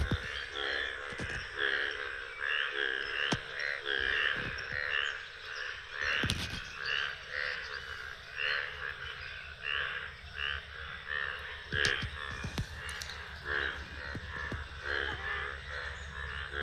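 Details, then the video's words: Many frogs calling on a morning in a village: a dense chorus of rapid, pulsing croaks repeated in quick bursts, overlapping continuously, with occasional sharp clicks and knocks. "ব্যাঙের ডাক শুনতে পাচ্ছি আমি, অনেক ব্যাঙ।"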